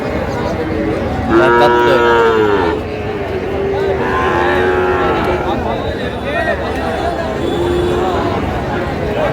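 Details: Sahiwal bull calves at a cattle market in Kushtia, Bangladesh, during bargaining: a strong drawn-out moo around the second second, then fainter sliding moos later, over constant crowd hubbub and voices.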